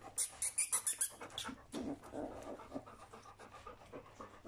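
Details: Panting from three-week-old puppies of Folie and Mayley: a quick run of sharp, regular breath pulses with a faint high squeaky edge at the start, then looser, softer huffing breaths.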